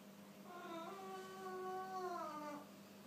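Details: Angry Siamese cat during a cat fight, stalked by a playful black kitten: a drawn-out, wavering harmonic yowl lasting about two seconds, steady then bending down at the end, with a low background hum.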